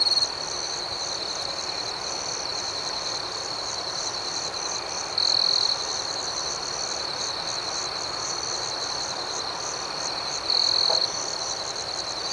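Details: Crickets calling through the night: an unbroken high shrill hum with faint regular pulses, and louder half-second trills every few seconds, at the start, middle and end.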